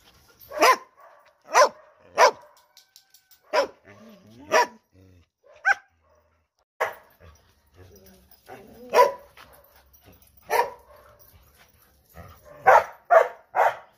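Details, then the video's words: Dog barking loudly in single spaced barks, several seconds apart at times, ending in a quick run of three barks. "PERROS ladrando FUERTE"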